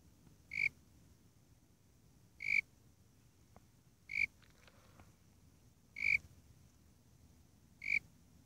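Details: Eurygryllodes warrilla, the Warrilla imposter cricket, calling in a steady series: five bright, pure, high chirps spaced about two seconds apart, with a soft rumbling hiss underneath and a few faint ticks between them.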